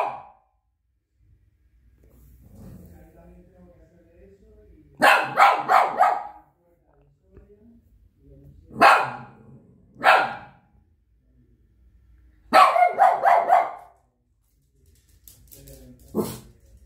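A Shih Tzu barks in quick bursts of sharp, high yaps with short pauses between.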